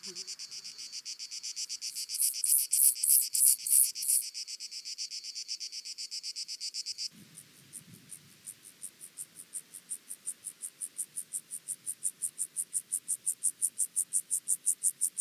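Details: Penumbra grasshopper (Chorthippus vagans), Mörnsheim, Germany, 14 July 2023: high scratchy pulsed song, first loud over a hissing background, then after a cut a fresh regular series of rapid pulses growing steadily louder.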